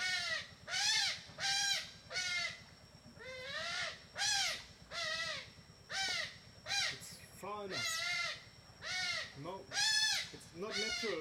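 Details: A playful group of smooth-coated otters eating fish in a river in Borneo gives loud, harsh squealing calls that arch up and down, about once a second.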